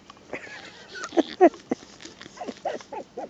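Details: Five-week-old female miniature schnauzer puppy whimpering: short, squeaky whines that bend up and down in pitch, a louder pair in the middle, then a run of brief wavering squeals toward the end, with a person talking softly.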